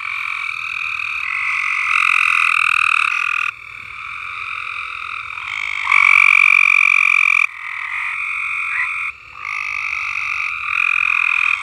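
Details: Several frogs singing together at Alderman Farms, with long unbroken trills that overlap and swap in and out. One voice swells loudest midway, and a faint high whistle-like tone rides on top.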